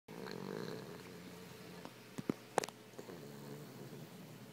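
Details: A sleeping Boston Terrier, eyes open, snores with a low, rattling drone in steady, uneven breaths.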